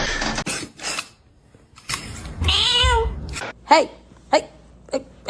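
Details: Kitten giving a brief wavering meow amid bumps, clicks and handling noises indoors, with quiet gaps between the sharp knocks.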